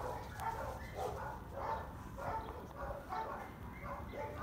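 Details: Female Labrador Retriever named Spring at Dog n Kitty City, a no-kill shelter in Dallas, Texas: short mid-pitched barks repeat about every three-quarters of a second, over a low hum with faint talking in the background.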